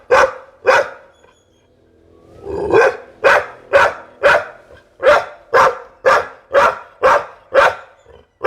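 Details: Pit Bull giving a long, steady series of loud, harsh barks about two per second, after a pair of opening barks and a short pause.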